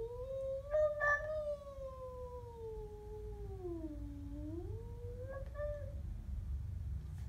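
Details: A Siamese cat growling at a stray gives a long, wavering warning yowl that sinks low and then rises again.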